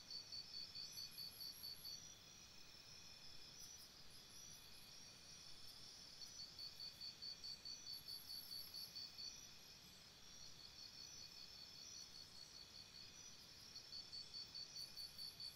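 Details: Crickets at a campsite after dark: bright, rapid pulsed trills come in regular waves a few seconds long, alternating with softer stretches, with brief higher-pitched insect buzzes above.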